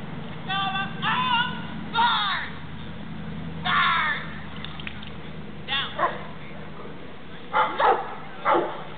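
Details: Four-year-old South African Boerboel named Kala competing at the SWK Protection Tournament, 2007 Mason Dixon Classic; a run of deep barks in short bursts spaced over several seconds, mixed with a handler's shouted commands outdoors.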